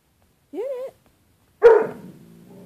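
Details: Pet dog Bruce Wayne, indoors, confronts his own reflection in closet door glass, the "other dog": one rising-falling whine followed by a single loud bark that trails into a rumbling growl.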